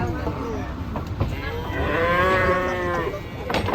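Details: Agitated cow being unloaded from a truck gives a long, strong moo that swells and then fades over about a second and a half, with low engine rumble and faint voices behind.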